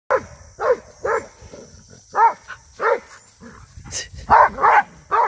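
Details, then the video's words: Rhodesian Ridgeback attacking cattle in 2022, giving a run of short, loud barks in uneven bursts, some doubled, with a steady high hiss in the background. "Ridgeback Attacking Cattle | Rhodesian ridgeback dog attacking 2022"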